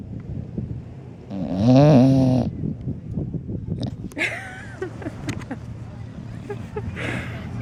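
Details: Wilbur, a bulldog, snoring on a day at the beach; one loud, rough, drawn-out snore near the start, followed by people talking over steady background rumble.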